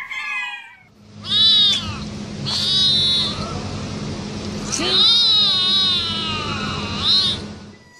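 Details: Domestic cat meowing in a compilation of cats and kittens: a short meow, then three loud, high, wavering meows over a steady low hum, with faint human speech.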